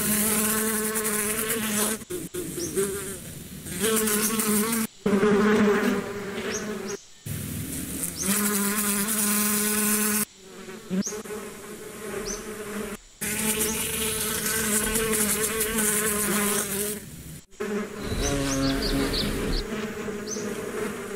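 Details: Bees humming in a continuous low drone that rises and falls in loudness as they fly near and away, broken by several abrupt gaps; scattered faint high chirps toward the end.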